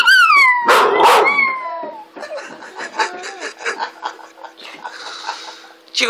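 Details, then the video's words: Chico, a pet dog, lets out a loud howl whose harmonics slide downward over two seconds, then falls into softer, choppy yelps mixed with a person's voice urging him on. "Chico Howling"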